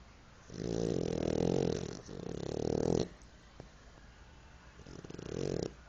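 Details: Pipoca, a French Bulldog, snoring in three long rattling, rumbling breaths. Each lasts one to two seconds, with quiet pauses between them and a faint click in the middle gap.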